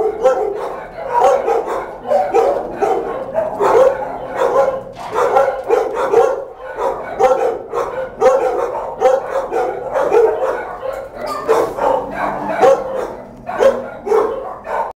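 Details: Dog with her pups indoors: busy run of sharp barks and higher yips, tightly packed and continuous, several short gaps between clusters.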